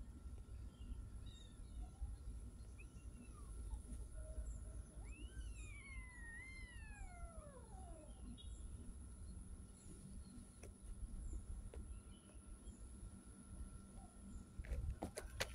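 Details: A street cat gives a long drawn-out meow of about three seconds. Its pitch climbs sharply, then slides down in a wavering fall, after a fainter short meow. A steady low rumble of traffic and a constant electrical hum run underneath.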